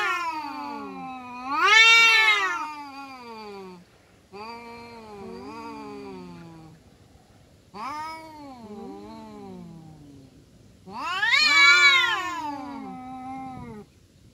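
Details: Kampung cats, a domestic one among them, fighting with drawn-out wailing yowls that wobble up and down, four separate howls, two of them swelling into loud, strained screams, with quieter moaning between.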